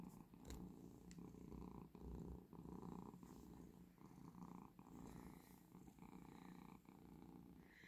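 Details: Domestic cat lying relaxed indoors, a pet that wakes its owner at 5 am asking for food. Steady low rumbling purr with a rhythmic pulsing texture, carrying on through the whole stretch with faint room noise.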